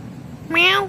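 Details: Kitten talking back to its owner indoors: a single sharp, high meow that rises quickly and trails off, loud and clear over quiet room noise.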